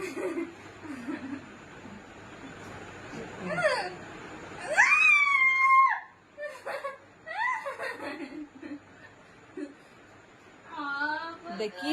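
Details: A pet cat being teased playfully by its owners meows a long, drawn-out, arching wail near the middle, with shorter bent cries before and after, while people talk and laugh nearby indoors.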